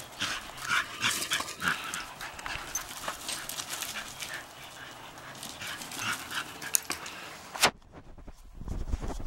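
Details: Female Shetland Sheepdogs rough-housing in a backyard on a blustery March morning; short, scattered bursts of dog vocal sounds over steady wind noise, with a sudden drop to near quiet just before the end.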